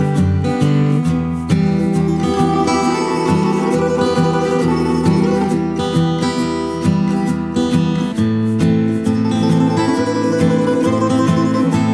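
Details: Loud strummed acoustic guitar music plays throughout in a steady country-style rhythm, with no animal sounds.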